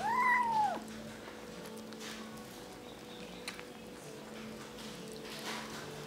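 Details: Kitten mewing while eating alongside others: one clear, slightly falling meow under a second long opens the recording, then only steady background hum and small clicks.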